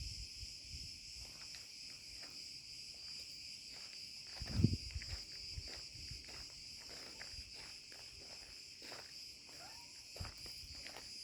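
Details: Cicada cretensis singing in an olive grove after sunset at 34C: a steady, high-pitched buzzing drone holding unbroken throughout, with crunching footsteps from a walk among the trees and a louder scuffle midway.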